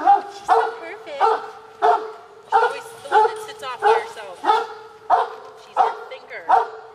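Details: Pet dogs waiting for an afternoon snack while a woman tells them to wait; sharp, high harmonic barks repeat steadily, roughly every two-thirds of a second, about ten in a row, with her voice in the background.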